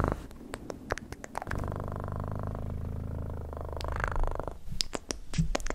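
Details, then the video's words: Pet cat purring as a soft, continuous low vibration lasting about three seconds, framed by crisp clicking and tapping sounds before and after. "Best PURRING sounds"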